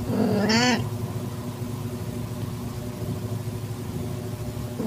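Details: Calitabby domestic cat in heat, filmed on 8 September 2021 at 6:30 PM as she accepts a newborn calico kitten. One loud, rising, drawn-out meow of about half a second, then a steady low mechanical hum.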